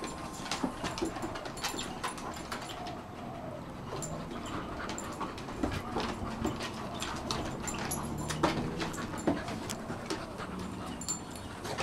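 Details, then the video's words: Two dogs at play: Rolex, a 1-year-old female Shar Pei, and Ellie, an 8-month-old Kelpie x Border Collie, trying to grab each other's cheeks. Rapid scuffling clicks and thumps, panting, and soft low growling rumbles run throughout. "Rolex (Shar Pei) and Ellie (Kelpie x) ... playing round 1"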